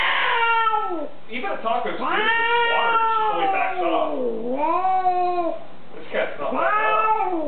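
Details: Hostile female pet cat, indoors while being cat-sat, objecting to a visitor: repeated harmonic-rich yowls, each swelling and bending downward, about four long cries with brief breaks in a small room.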